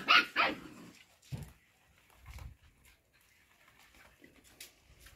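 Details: Show Cocker Spaniel puppies at play time: two sharp, high yipping barks burst out in the first half second, followed by a few soft thumps and scuffling noises with quiet gaps between.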